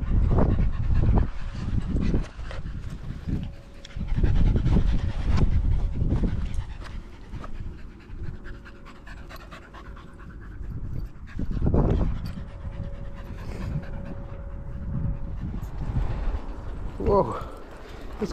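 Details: Border Terrier panting during a one-hour-plus walk with six small dogs, three of them Border Terriers named Alfie, Juno and Otis, sunny and 16°C on 13 September 2022, GoPro-recorded; bursts of fast huffing breaths separated by quieter stretches of walking noise.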